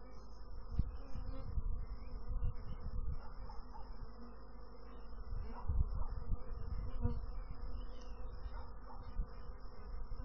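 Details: Steady, heavy buzzing of honey bees fills the low range, with scattered soft knocks and brief louder surges. A thin high tone runs in the background.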